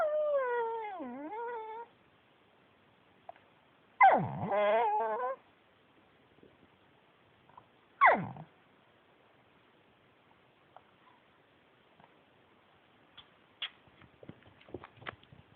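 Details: Talkative male Pekingese named Yuyu, a former shelter dog, giving three separate moaning, whimper-like vocals about every four seconds, the first long and wavering, the last short and sharp, then soft shuffling and small clicks indoors.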